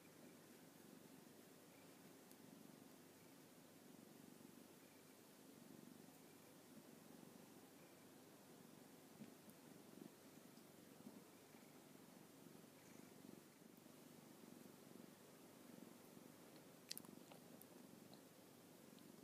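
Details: Orange tabby cat, very happy after playing with its owner, purring softly in a low, steady rumble that continues throughout, with faint rustles and a small click near the end.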